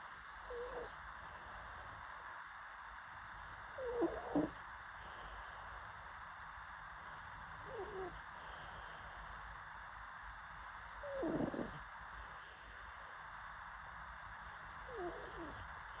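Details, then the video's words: A sleeping pug snores softly, with low rasping breaths that come roughly every three to four seconds and quiet stretches between them. "PUG DOG SLEEPING"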